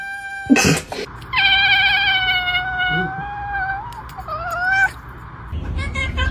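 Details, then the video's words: Strange, spacey cat vocalisation: a sharp burst of noise, then a sustained harmonic cry held for about three seconds that dips and wobbles before cutting off, with a brief rough sound at the end. "Spacey and strange cat sounds"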